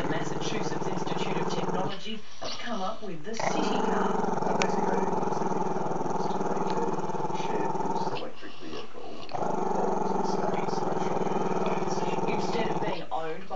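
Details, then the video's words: Camera-shy Maltese-Shih Tzu puppy growling at the camera in a crazy long growl: steady low rumbling stretches lasting several seconds, broken by short pauses for breath. "crazy long growL"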